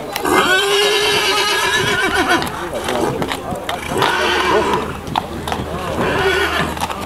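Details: Percheron horse giving a long, wavering harmonic whinny across the first two seconds, followed by shorter vocal bursts, hoof clip-clop, and people talking throughout.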